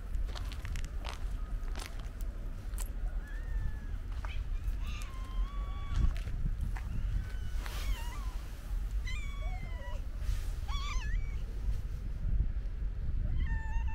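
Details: Hungry stray cats being fed, several animals meowing: short rising and falling mews overlapping, some bent or wavering, spread across the clip over a steady low rumble of street or traffic noise.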